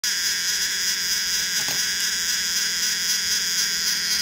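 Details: Cicadas calling in summer: a steady, dense, high-pitched buzzing drone holds without a break, with a faint low electrical hum beneath.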